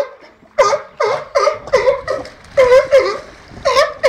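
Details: Captive sea lions at the National Seal Sanctuary, Cornwall, 24 March 2010, where two Patagonian sea lions, Diego and Noito, live with a Californian sea lion, André: eight loud, hoarse barks, steady and quick, about two per second, after a brief quiet start.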